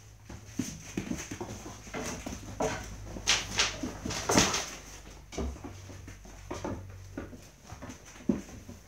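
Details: Dobermann puppies, aged six weeks or more, give short, irregular whimpers and yips over a steady indoor hum while playing in their dog house.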